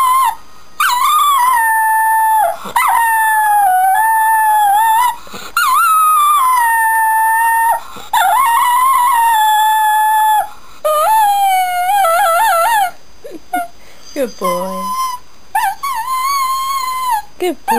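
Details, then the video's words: A male Shetland Sheepdog howls in long, wavering, high-pitched notes along to the start and end credits of a television soap, with faint TV music behind. "DOG HOWLING TO CORONATION STREET"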